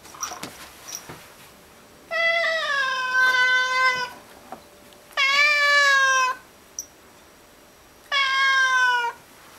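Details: Pet cat indoors, eager for a bug up on the ceiling, gives three long drawn-out meows of about a second each, steady then dropping at the end, with soft clicks and room hiss.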